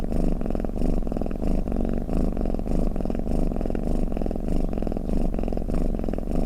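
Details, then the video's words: Brief stretch of a cat's deep purring snore: a gravelly low vibration that swells and eases in short regular waves. "เสียงแมวคราง เสียงกรนของแมว | snoring cat"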